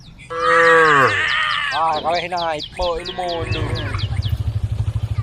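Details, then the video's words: Grass-eating tame female cow lets out a loud, rich moo that sags in pitch at the end, followed by broken, wavering calls, then rhythmic low thumping pulses. "tame cows eating grass funny cow sounds"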